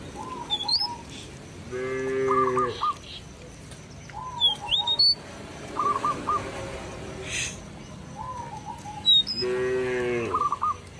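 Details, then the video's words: Cattle roaming a village field, calling companions to return to the pen. Two drawn-out, harmonic moos about seven seconds apart, each lasting around a second. Repeated chirping and whistled bird calls fill the gaps throughout. "Suara sapi lembu berkeliaran di ladang memanggil kawan untuk pulang ke kandang - Bunyi Lembu di desa"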